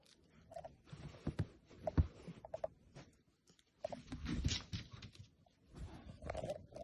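A French Bulldog puppy lets out short, strained squealing whines, begging for food.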